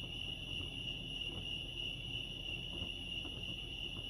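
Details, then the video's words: At Lake Arrowhead, California, crickets keep up a high, even, unbroken trill from start to finish, set against a dull low-pitched rumble of background noise. "Serenity sounds crickets chirping lake arrowhead"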